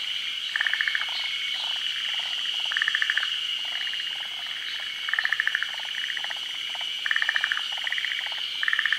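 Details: Forest green tree frogs, native only to Japan, calling while spawning at midday. Loud, rattling bursts of rapid pulses repeat about every two seconds, set against a continuous high insect drone.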